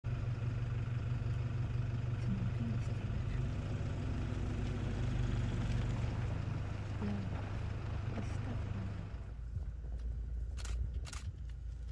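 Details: A steady low vehicle engine rumble fills most of the recording, easing off near the end with a few clicks. No animal voice stands out.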